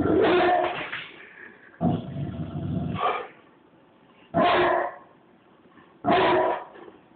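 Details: Deep barking from a Bullmastiff named George, unsure about a battery-operated squirrel toy: four heavy barks spaced unevenly over seven seconds, with a low rumbling stretch between the first two and near-quiet gaps between the rest.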